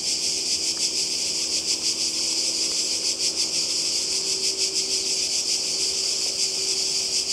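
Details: Cicadas calling by the sea in Croatia in summer 2020: a dense, continuous high buzzing wall of sound with a faint pulsing texture throughout, steady and unbroken.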